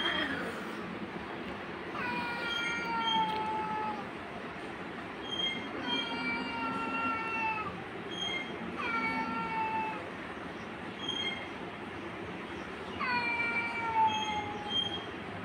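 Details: Domestic cat, angry and attacking a kitten, gives repeated long harmonic wails that slide downward, about four calls spaced a few seconds apart against constant low rumbling noise.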